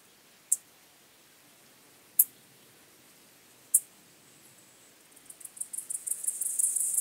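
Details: Gomphocerippus rufus, the white-clubbed grasshopper, at Elsbethen, Austria, in September 2020, recorded through an ultrasound detector: three sharp isolated high clicks spaced well apart, then a very high pulsed stridulation building rapidly in the last two seconds.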